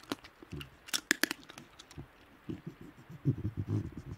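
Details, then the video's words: Wild Tasmanian devils feeding at night in the Tasmanian bush: sharp crunching and tearing of food early on, then a run of low, rough growling pulses in the last second and a half. "Tasmanian Devil Sounds - Growls & snarling calls from wild devils in the Tasmanian bush"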